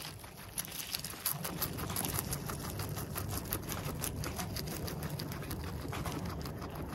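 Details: Guinea pig eating, filmed in close-up at nose and mouth: a steady run of crisp, dry crunching clicks, roughly three per second and somewhat uneven, over a low constant rumble.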